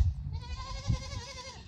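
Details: Fainting goat named Lulu, called by name so she would give her unusually strange call; a drawn-out wavering bleat over low rumbling background noise.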